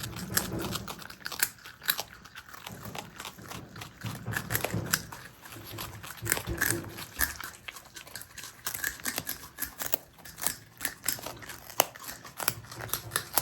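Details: Captive marmot brothers, Himalayan and Alpine marmots kept as pets indoors, eating; dense crackly crunching and clicking bites, irregular and continuous, with soft low thumps.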